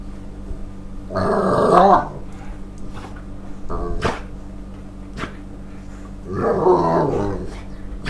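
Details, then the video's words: An excited Staffordshire Bull Terrier, hyper as the owner gets home from work before the evening walk, gives two drawn-out, growly barks about five seconds apart. "Barking staff bull terrier"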